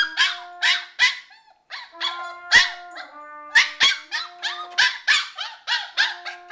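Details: Shiba Inu howling during trumpet practice, a string of short, wavering yelps and howls repeated about twice a second over held trumpet tones.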